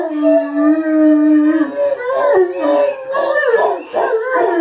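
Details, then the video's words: English Mastiff singing to a siren, opening with a long steady howl that then breaks into wavering, quavering notes as other dogs join in a loud layered chorus. "The Mastiff Song!"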